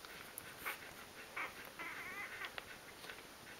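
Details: Three-day-old Rhodesian Ridgeback puppies of the E-Litter, a newborn litter, give faint, thin, high squeaky whimpers in several short bursts, some with a slight wavering pitch, over a steady background hiss in a quiet room.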